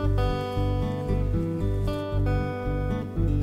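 Strummed acoustic guitar music with no animal sounds.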